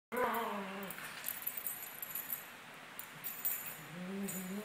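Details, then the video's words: Two 17-month-old Maltese dogs playing together: a rough, wavering growl opens, jingling and scuffling follow, and a second rising growl comes near the end. "Maltese dogs playing"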